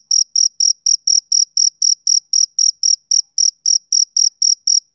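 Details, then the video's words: Bright, clipped chirps from a male cricket repeat at a steady pace of about four per second, nearly twenty pulses, with nothing else audible. "Cricket Chirping Sound"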